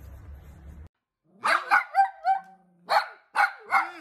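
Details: Dachshund, a playful pet wiener dog, barking in sharp bursts: a few quick harmonic yaps near one second, a short pause, then another cluster of three barks, with a low rumble of background noise before the first bark.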